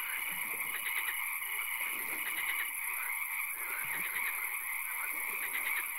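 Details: Frogs in a swamp at night with occasional rain: a loud chorus of quick pulsed croaks in short groups, some lower grunting notes beneath, and a continuous shrill background hum.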